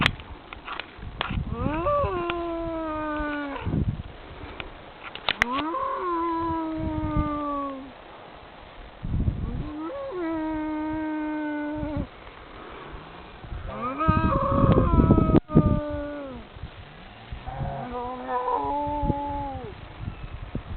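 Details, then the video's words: Cattle lowing somewhere in France as a cow whisperer works with them: five long, drawn-out moos, each a harmonic call that briefly rises then slides down and holds, spaced about four seconds apart, with rustling and handling noise between calls. "Sound of Moosic"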